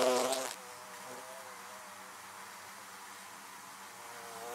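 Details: A bee zooms loudly past the listener in the first half second near beehives. A softer, even droning hum of more bees continues afterward.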